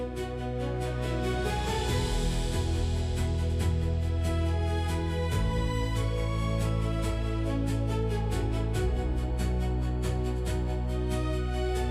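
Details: Gentle instrumental music plays throughout, built on sustained low chords with shifting harmonies. No animal voices can be picked out.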